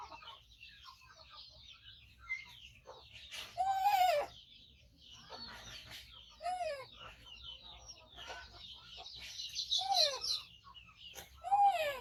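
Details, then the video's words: Rescued baby monkey, five months old, living with its carer and waiting to be fed, gives repeated loud downward-arching cries mixed with chattering squeaky notes over twelve seconds. "Cutie Monkey Koko Make Sound So Loudly During Waiting Mom For Eating"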